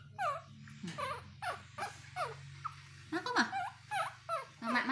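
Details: Baby male monkey calling for his mother to comfort and hug him: a string of high, sharply falling squeals repeated roughly every half second, with a steady low hum and a woman speaking Vietnamese in between.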